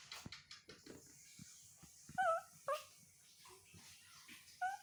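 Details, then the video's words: Baby monkey named Toro making soft sounds to get his mother to comfort and hug him: a few brief, faint tonal coos that dip and rise, spaced irregularly over a quiet indoor background with light clicks and handling noises. "Baby Monkey TORO Makes Sweet Sounds To Get His Mother To Comfort And Hug Him"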